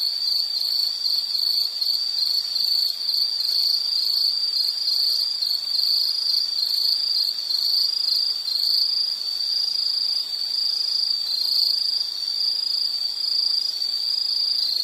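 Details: A steady wall of insect song, piercing and finely pulsed, with faint higher ringing bands; the trill keeps an even level from start to finish without other voices.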